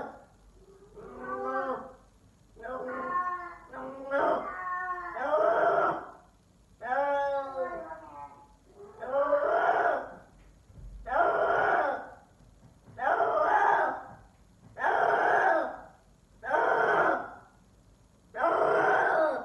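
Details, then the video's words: Indoors, a male F4 silver Savannah cat calls in a manner compared to a lion, with loud, drawn-out harmonic moans; about a dozen follow one another roughly every one and a half to two seconds. "F4 savannah Cat calling like a lion"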